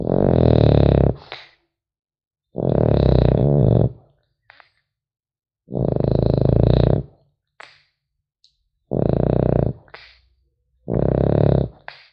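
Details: French Bulldog puppy asleep indoors, snoring in loud rasping bursts about a second long, five of them spaced roughly two seconds apart, with deep low rumble and faint nasal clicks between breaths in a quiet room.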